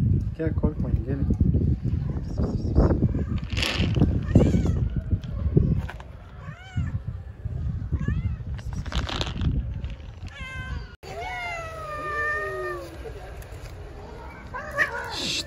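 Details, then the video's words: Friendly stray cat on an Istanbul street talking to a person: short chirpy meows mingle with a woman's Turkish speech, then a long drawn-out meow that rises and slowly falls, followed by another short cry. "Friendly stray cat talking to me, meow"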